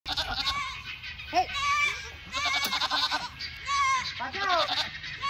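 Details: Myotonic (fainting) goats give loud, quavering, nasal, overlapping bleats after a lawnmower is started next to them, with human voices mixed in.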